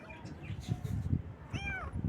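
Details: Baby kittens on their first morning: one short, arched meow rises and falls late in the clip, preceded by low rumbling and handling noise.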